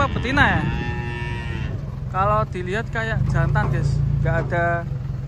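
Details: Large cattle stepping down off a truck in the morning: one rising, then steady, moo of over a second, followed by short shouted calls from people, all above a low rumbling motor.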